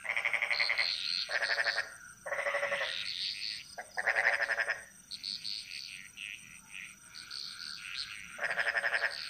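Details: Frogs in Bali singing a jungle chorus: several loud, rasping, pulsed croak bursts early on, then a stretch of softer, higher chirping calls, then another strong croak burst near the end, all over a faint steady whine.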